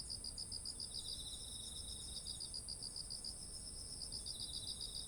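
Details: Autumn insects calling beside ripe, heavy rice fields, recorded on a ZOOM H1essential: rapid high pulsed chirps in steady trains, with a fainter second chirping layer below and a constant thin high whine over the whole clip.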